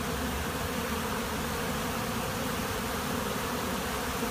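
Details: Steady humming roar of a honey bee swarm at a monastery apiary, many insects buzzing at once in a constant, level drone.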